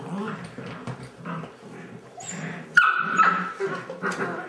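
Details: Airedale Terrier puppies playing football indoors, one giving a sharp high whine with a squeaky yelp after quiet scuffling, followed by softer whimpers, with a woman talking to them throughout.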